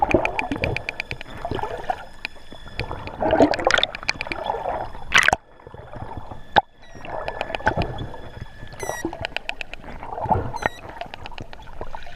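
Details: Wild dolphins heard underwater during a swim on a sunny 12 November 2014, water at 25°C: rapid buzzing click trains and short, high, upward-sweeping whistles over gurgling water and bubble noise.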